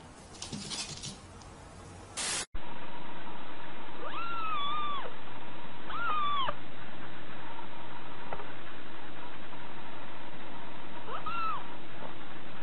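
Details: Cat meowing: three drawn-out meows, each arching up and then falling, spaced several seconds apart, heard over a steady low electrical hum after a brief burst of rustling noise at the start.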